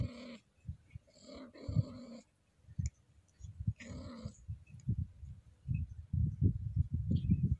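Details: Stroked softly, a Scottish Fold cat in heat gives three loud, strained, harmonic yowling moans in the first half, followed by low, rapid guttural throat pulsing.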